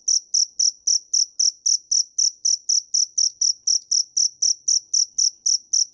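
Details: High, bright chirps from a dế mèn cricket come in a fast, regular series of nearly four pulses per second, each with a sharp start. The background is silent.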